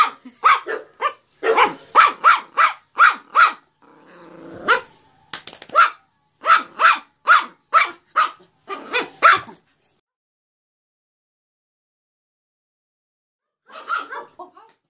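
A small Yorkshire Terrier gives quick runs of shrill, yappy barks, each bark short and clipped. After a few seconds of quiet, a final short burst of barking follows.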